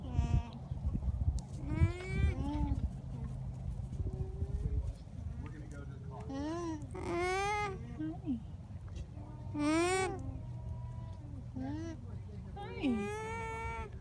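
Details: Alpacas on a farm in Townville, South Carolina, give repeated wavering, whiny hums that rise and fall, with people talking nearby.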